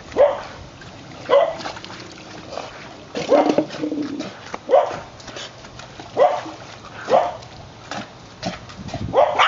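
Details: Ginger, a 5-year-old white terrier, swimming after a ball in the water; spaced single barks and pairs, some yelping, separated by splashing and noisy pauses.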